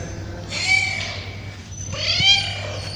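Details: Hungry street cats being fed give two drawn-out, arching meows, described as a love call between male and female cats.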